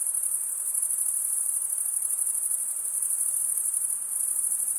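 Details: Chorus of chirping crickets, the sound made as males draw one wing over the comb-like teeth of the other; a high, rapid, shimmering trill, steady and unbroken, with faint low rustle.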